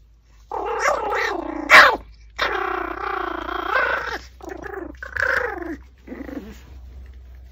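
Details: While eating a raw pork backbone, a Pomeranian makes a run of wavering, moaning growls that rise and fall in pitch, with a sharp crunch near the start and softer grumbles trailing off.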